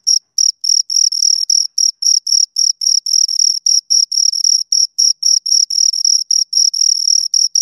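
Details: Pair of crickets producing rapid, shrill chirps in a fast pulsing rhythm near four beats per second, evenly loud, on a silent backdrop.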